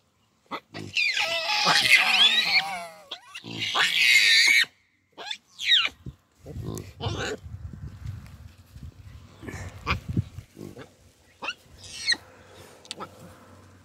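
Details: Wild baboons screaming: two long, loud, wavering harmonic shrieks, then scattered shorter rising yelps and low rumbling grunts over quieter background noise.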